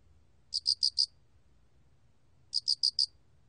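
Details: Cricket (알락귀뚜라미) singing in a 2020 recording: two crisp high-pitched chirps, each of four rapid pulses, spaced about two seconds apart over a quiet low hum.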